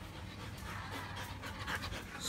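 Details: Belgian Malinois panting during a basic training session: a steady, breathy, rapid rasp that fills the clip with a soft low rumble of background noise.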